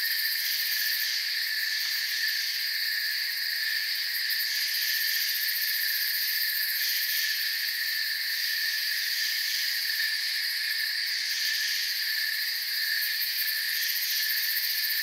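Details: Chirping crickets fill a forest soundscape with a constant, shimmering high trill. Several pitched layers overlap without a break, and only slight flickers in loudness appear across the stretch.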